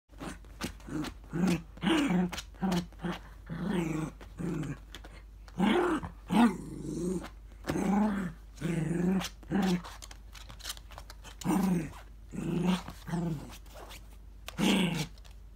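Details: A miniature dachshund in a small indoor room growls at a gacha capsule stuck in a gap: low, throaty, rumbling bursts in an uneven rhythm, some longer and louder than others, with brief pauses between them.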